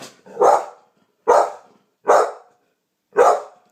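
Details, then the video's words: Honey, a champagne-coloured American Pit Bull Terrier, barks after hearing a strange noise: four loud, broad barks spaced roughly a second apart, with a person quietly asking what it is between them. "Honey - Champagne Pitbull - Heard a strange noise"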